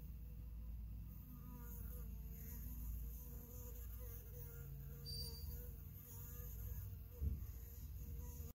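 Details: Honey bees fill the air with a steady, low droning hum while a worker bee cleans and feeds the queen.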